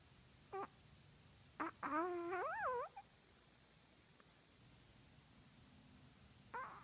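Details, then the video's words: Chihuahua named Buddy whimpering while dreaming in his sleep indoors; a short soft yelp, then a drawn-out wavering whine rising and falling, a brief pause and one more faint squeak in a quiet room. "Cute Chihuahua Dreaming"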